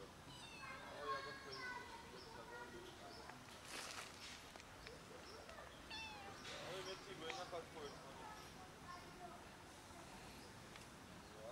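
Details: Hungry kittens climbing down a garage for food, meowing over and over in thin, harmonic-rich calls, several overlapping, with scraping and knocking noises from the climb.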